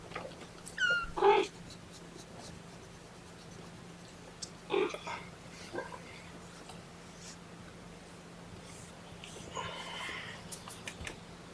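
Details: One of Seraphina's four kittens protests being pottied before weighing, indoors on 2018-10-01: two quick, high-pitched mews in close succession near the start, then rustling, handling sounds and faint human voices.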